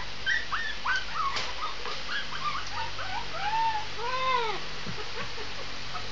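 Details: Howling Shih Tzu puppy: short squeaky whines first, then drawn-out arching howl notes that rise and fall, several in a row with clear overtones, over a low steady hum.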